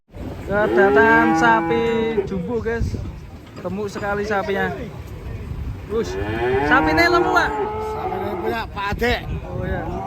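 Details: Fat cattle in Indonesia described as raging; a series of loud, drawn-out harmonic moos, several rising then falling, in three bursts separated by short pauses, with faint voices and background noise.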